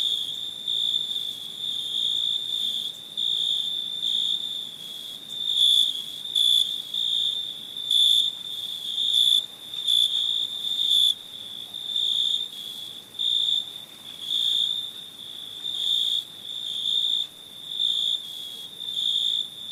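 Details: Crickets chirping at night in India, a steady high-pitched trill with louder pulsing bursts roughly every second, layered over continuous background insect buzz; no other animals or people audible.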